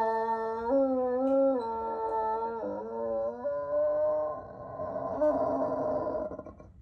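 A Bloodhound gives a long, mournful howl that steps between pitches before fading into a breathy wail.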